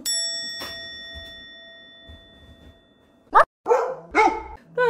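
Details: Siberian Husky reacting to its clingy owner, recorded 7 April 2020; a chiming tone and soft music open, then after a pause come a few short, loud, harmonic barks and yelps near the end.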